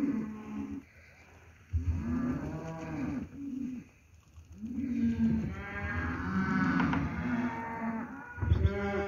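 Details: Steers, lot 17 at Lago Escondido, lowing in low drawn-out moos, several overlapping calls with one long bellow in the middle and another starting at the end.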